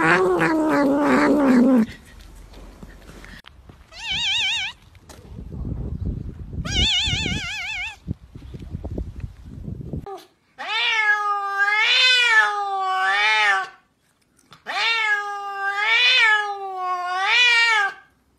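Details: Funny cat yelling like a human: an opening harsh drawn wail, then wobbly warbling tones, then long wavering yowls repeated in bursts about every three seconds, with rustling noise in the middle.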